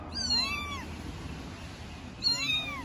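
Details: Three four-week-old kittens from Istanbul, meowing at the same time; two bright, arching mews separated by a quiet gap of over a second, with a steady faint hiss behind them.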